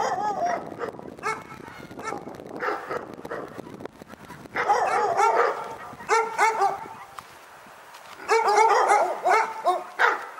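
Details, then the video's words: Dog barking at Pyrga: bursts of harsh, harmonic barks come in rapid clusters around 0.5, 2.5, 4.5–7 and 8–10 seconds, overlapping and fast, separated by quieter gaps with faint background noise. "Pyrga Barking Nightmare"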